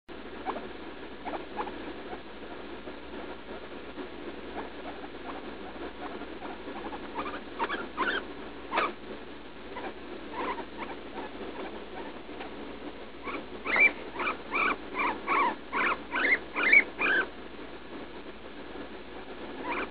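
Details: Leslie, a roughly three-year-old female guinea pig, cries in pain while passing droppings after eating leaf lettuce; she is on antibiotics for a suspected UTI. Scattered squeaks give way to a fast run of harmonic, rising squeals near the end.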